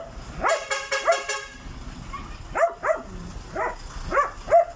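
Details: Dog said to have a ghostly voice, uttering repeated eerie wavering yelps in two clusters, each cry bending up and down in pitch, over a background of traffic noise.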